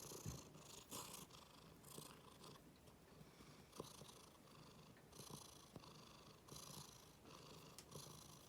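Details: House cat that dislikes its bottom being touched and is angry, but still rumbles: continuous low purring swelling with each breath roughly every 1.3 seconds, breathy hiss-like surges and faint clicks.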